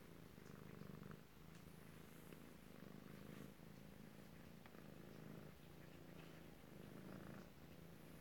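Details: Kittens in Alabama recorded close-up on 7 February 2018, purring steadily: a low, continuous rumbling drone with faint rhythmic swells as each breath cycles, and no other clear sounds.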